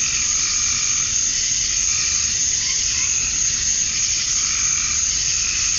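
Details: Male cicadas in Georgia, USA, calling to attract females at summer dusk: an even, sizzling high drone holds throughout, with faint lower warbling notes weaving in and out.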